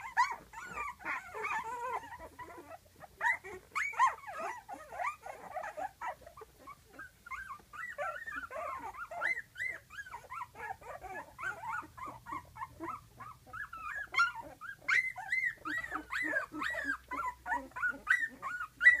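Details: A litter of twelve-day-old puppies in a whelping box whose eyes are opening. Their mother is just outside and they want to be with her. A dense chorus of overlapping thin, squeaky whines and whimpers runs continuously.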